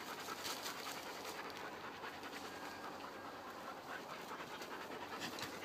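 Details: Panting from dogs at play: fast, regular huffing breaths, about two and a half per second, each a soft rasp of air. The rhythm holds evenly from start to finish.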